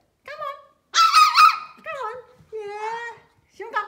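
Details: A tiny Pomeranian puppy, afraid to step down from a step, gives short, high, whiny barks and tonal whimpers, some clipped, some drawn out, while a person softly coaxes it to come down. Finding: Pomeranian.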